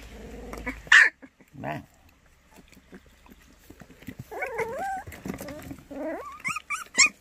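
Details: White puppies for adoption in Cheongdo, Korea: a loud yelp, a low grunt, then wavering whines and rising squeaky whimpers that grow more frequent toward the end, with light handling noise.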